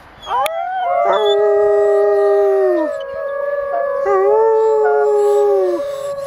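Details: Female arctic wolf Vanda, coaxed into howling at Jungle Cat World, Orono, Ontario, in February 2011. One sustained, mellow howl rises at its onset, holds level, dips briefly, and then resumes with a second drawn-out tone that fades out.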